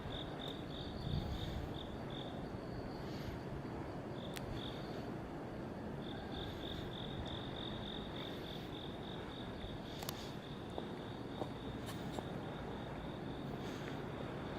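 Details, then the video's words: Crickets at night by a road in South Korea, recorded in September 2019: a steady string of high, pulsed chirps with brief gaps, over a constant low rumble of passing traffic. "풀벌레, 귀뚜라미 소리"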